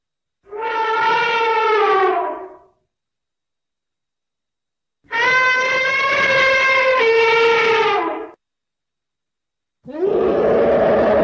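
An elephant gives loud, brassy trumpet blasts, each lasting two to three seconds.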